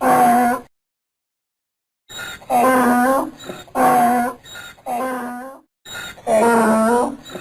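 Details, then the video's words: Donkey braying: after a short silence, loud harmonic blasts alternate with softer, lower wheezing breaths in a see-sawing hee-haw rhythm, about four strong bursts in quick sequence. "Som do Jegue Relinchando - Jumento Relinchando - Som do burro"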